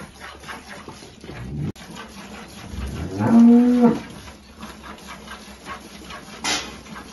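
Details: Holstein cow with her calf at milking on a farm in El Salvador; a single mid-length moo of about half a second rises out of steady farm background noise, with a man talking nearby.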